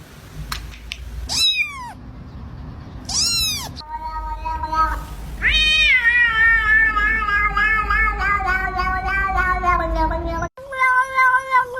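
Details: Cat giving meows: a few short sharp upward-sweeping mews, then a long sustained wavering meow lasting several seconds with rich harmonics, ending with a brief final meow after a pause.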